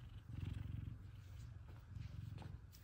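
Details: F2 Savannah cats happy to see their owner home from work; a low, rumbling purr pulsing in steady rhythmic bursts throughout, with a woman softly greeting them in between.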